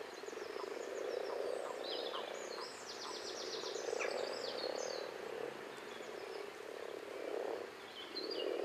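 Common frogs give a low, purring chorus of soft croaks that swells and fades, with birds singing behind.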